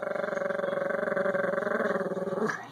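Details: A small Chihuahua-Pug mix dog watches from a window as neighbours move in across the street, March 22, 2015, and gives a steady, throaty, pulsing growl ending in a brief sharp note; the early audio is muffled.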